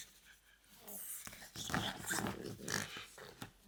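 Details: French Bulldog, a pet dog indoors, making a continuous throaty grumbling growl with rough pulsing breaths, rising in loudness through the middle and ending in a short snort.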